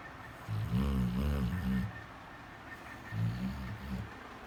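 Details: A sleeping black Labrador Retriever, apparently having a nightmare, gives low, wavering moans with a muffled, groaning tone.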